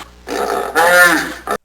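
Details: Hippopotamus making a drawn-out, throaty grunt that swells into a louder, rising and falling groan, ending with a short final burst.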